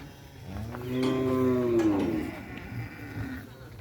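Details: Cattle at a Kerapan Sapi bull-race training session at Asemanis field: a single drawn-out, tonal moo rising then sliding down over about a second, with crowd murmur and outdoor noise behind.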